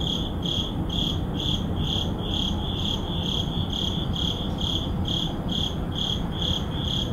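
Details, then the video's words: Crickets at midnight in an urban neighborhood; high, bright chirps pulsing steadily about two to three times a second over a constant low rumble of distant city noise. "Urban Midnight Crickets"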